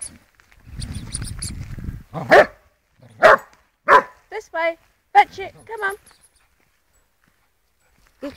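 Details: Florrie, a playful female Border Collie, outdoors during a game of fetch: four sharp, loud barks spaced about a second apart, with a person's encouraging voice between and after them.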